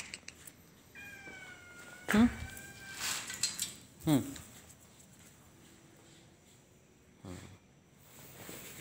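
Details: Stray cat giving one drawn-out, descending meow of about a second, rich in harmonics, while a person laughs and calls out "hai" with short voiced sounds before and after.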